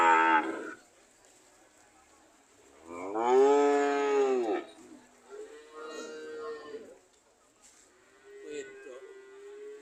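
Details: Cows described as ready to leave: a brief moo, a pause, then a loud arching moo followed by two quieter, lower, flat lowing calls spaced a few seconds apart.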